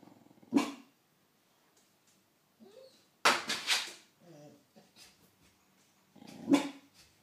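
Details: Pitbull mastiff pup giving three sharp, separate barks spaced a few seconds apart, one harsher double bark in the middle, with faint soft noises between.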